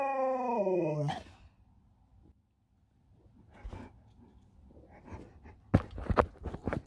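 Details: Alaskan Malamute named Sherpa, indoors with its phone, gives a drawn-out, falling, richly harmonic groaning howl lasting about a second, then quiet clattering, rustling and sharp knocks follow.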